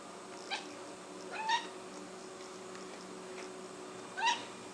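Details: Six-month-old cat Blip chases a fly inside and lets out brief chattering chirps, one faint then two louder upward-sweeping squeaks a few seconds apart, with constant indoor background noise.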